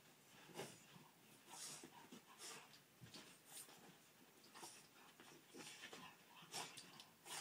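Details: Indoors, the Boston Terrier Cash Money pants and snorts during a playful 'breakdance', the breathy puffs coming roughly every second with soft snuffles between them.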